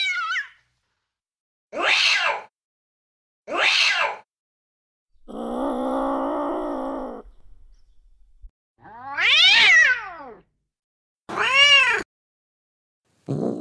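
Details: Domestic cat giving a series of short, sharp meows separated by pauses, a lower sustained rough cry in the middle, then quick high downward-sweeping meows.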